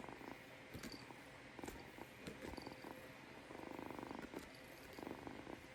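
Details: Purring kitten with soft rhythmic throbbing that swells and fades with each breath. Faint broadband hiss underneath throughout.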